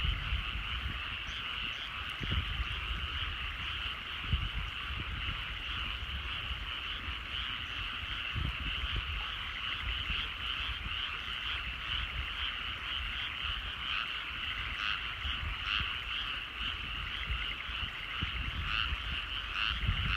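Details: Countryside paddy fields at sundown, filled with an unbroken chorus of calling frogs. Many overlapping trills merge into a constant drone, with scattered sharper croaks and a low background rumble.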